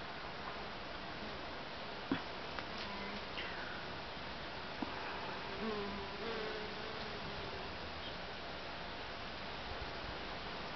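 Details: Honey bees give a low, wavering hum that swells and fades as they fly close past, flitting from flower to flower in a back wildlife garden.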